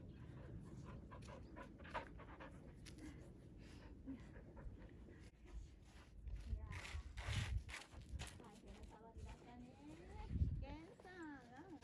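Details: Gen-san, a grown rescue dog, panting steadily and rapidly at close range indoors, with wet licking noises and a person talking and laughing over much of it.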